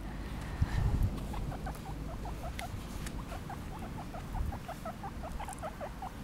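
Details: Several happy guinea pigs outdoors give a fast run of short, high, squeaky chirps, roughly three to four per second, over low rumbling background noise and an occasional thump.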